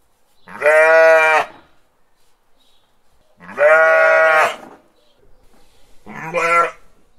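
Three strong, quavering sheep bleats come in turn, the first two long and drawn out, the last shorter and more clipped. Quiet gaps fall between them.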